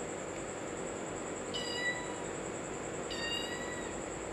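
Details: A cat and kitten at play, with two clear, harmonic meows about one and a half seconds apart, each held briefly and level, over a steady high-pitched electrical hum and low room noise.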